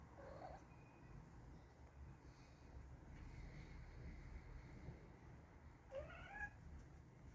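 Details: Two cats, brothers, argue indoors while one tries to push the other off the bed; a short muffled mew at the start, then after a long pause a rising, wavering complaining meow, over steady low background hum.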